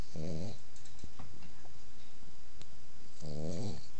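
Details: Pit bull puppy snoring while asleep; two rasping, buzzy snores about three seconds apart with low steady background hiss.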